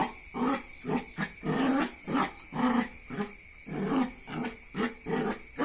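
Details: Jack Russell Terrier puppy giving low, gruff bark-growls in a steady run of short pulses, about one every second, each rough and throaty with little pause between.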